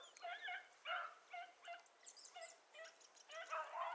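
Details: Beagles from a selective breeding line, with dogs called Ribo and Mira, chasing a hare that crossed through water. Short, ringing, harmonic yelps come in quick uneven bursts about twice a second, heard at some distance over a quiet background.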